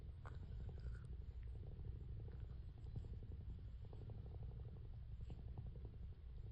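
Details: A female calico tabby cat grooming herself and purring: a steady, deep, throbbing purr that continues throughout, with soft scattered licking clicks.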